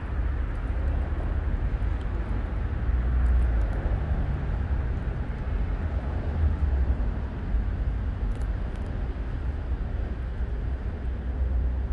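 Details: Constant deep engine or wind rumble dominates throughout, with only faint high ticks and no animal voice.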